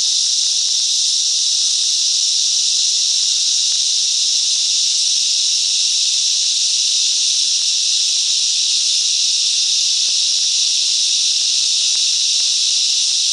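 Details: Cicadas singing together in the bush mangroves of Coffs Harbour, NSW, Australia: a dense, unbroken, shrill hissing drone held at a steady loudness throughout, with no pauses and no other clear sounds.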